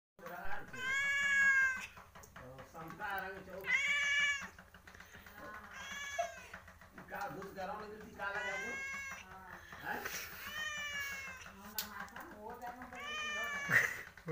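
A domestic cat in heat calls for a mate with long, rich, wavering yowls, each lasting about a second and repeated every two to three seconds. A little human speech is heard faintly at the end.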